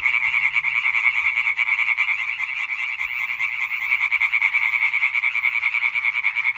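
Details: Dense concert of European tree frogs recorded 20 May 2023, rapid repeated croaks forming a loud continuous rattle, rhythmic pulsing visible in the swelling and fading loudness, no other sounds clear.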